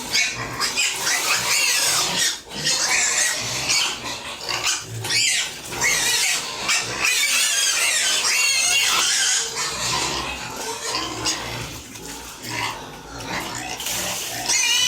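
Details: Domestic pigs on a home farm at feeding time, many squealing together in a loud, continuous chorus of high, harmonic, wavering squeals and grunting that barely pauses, with brief dips in volume around two and twelve seconds.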